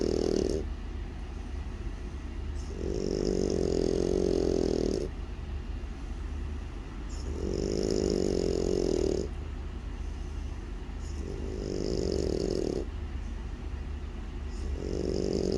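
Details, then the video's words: Sleeping French Bulldog snoring steadily, with low rough rumbling snores of about two seconds each alternating with quieter breathing gaps, repeating regularly through the recording. "프렌치불독 코골이"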